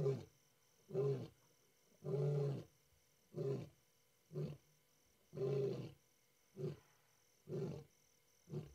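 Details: A male lion known as S8 calls with deep, throaty roaring grunts repeated roughly once a second.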